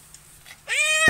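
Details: Recently adopted barn cat, newly friendly and letting itself be petted, gives one short meow after quiet: a clear harmonic cry that rises, then holds steady for about a third of a second before a brief thump.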